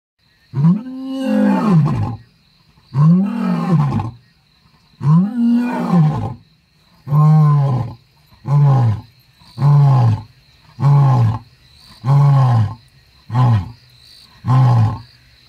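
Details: Wild male lion, a young newcomer entering the territory of the Machaton and Strydom males, roaring: deep moaning roars of about a second each, the first long and drawn out, then shorter grunting ones repeated every one to two seconds.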